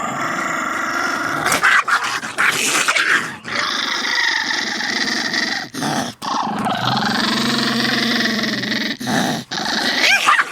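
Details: Several pet dogs fighting at home, snarling and growling continuously with harsh, rasping, layered growls, broken by short sharp yelps and brief pauses.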